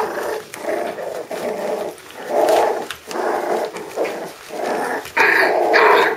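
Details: Five-week-old puppies of Candie and Kevin producing rough, raspy growl-like bursts of about half a second each, broad and grainy in tone, with a few brighter squeaky notes near the end.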